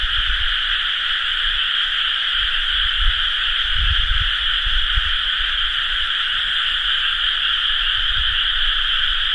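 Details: Frogs chorusing in rice paddies during rice-planting season, recorded 30 May 2011 in an area with many paddies: a dense, unbroken wall of overlapping croaks with two steady tonal layers, no pauses, and a soft low rumble underneath.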